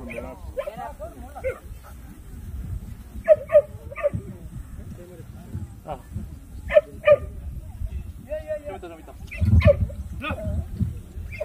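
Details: At the 66th Korea Best Jindo Dog selection show, a Jindo dog barks in scattered short bursts and pairs over eleven seconds, amid an announcer's voice, crowd noise and handling sounds.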